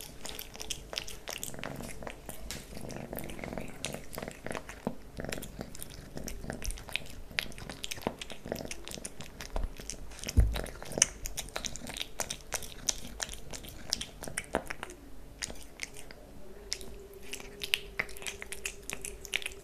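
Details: Kitten Leo eating cat food and stick treats, rapid wet licking and chewing clicks over a low purr, a faint steady hum in the room toward the end.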